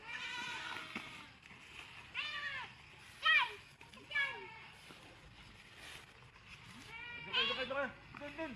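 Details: Goats in a farm pen calling with repeated arched, nasal bleats every second or two, scattered over low background music and distant voices.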